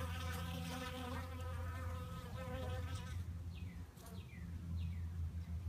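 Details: Loud wavering buzzing of fighting bees fades after about three seconds. A low hum and a series of quick high descending chirps follow.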